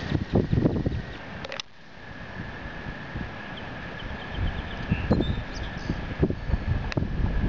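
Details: During the spring breeding migration, an American toad gives a long, steady musical trill on one high pitch beneath rumbling, thumping background noise.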